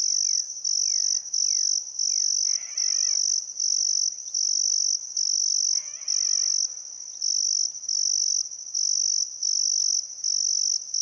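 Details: Crickets chirp steadily in high, pulsing bursts at sunset on a still summer afternoon by the Barcoo River, Welford National Park, Outback Queensland, Australia, with faint bird whistles early on.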